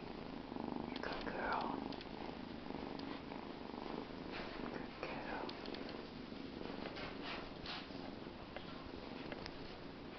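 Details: Purring Bengal kitten, steady low pulsing rumble running throughout while a person talks softly over it in a small room.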